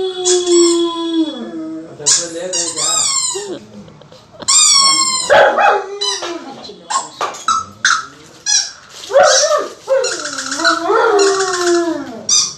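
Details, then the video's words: Pet German Shepherd, a male dog, answering a squeaky toy with falling, wavering howls at the start and end, between rapid high-pitched toy squeaks and some human voice. "German Shepherd howling"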